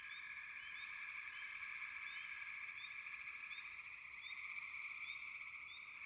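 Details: A frog chorus forms a continuous buzzing trill, with brief rising chirps scattered over the top at irregular intervals. No other sounds stand out.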